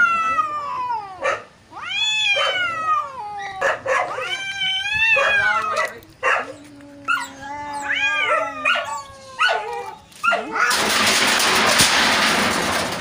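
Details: Fight between two neighbour cats, a string of short rising-and-falling yowls and moans in quick bursts, a low drawn-out growl midway, ending in a loud noisy hissing clash before they are separated.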